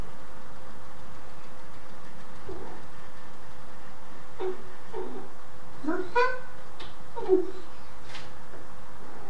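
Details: A black and white male Domestic Shorthair named Tom, caught in a burst of zoomies inside the house, gives two or three brief harmonic meows a second apart over a steady low hum.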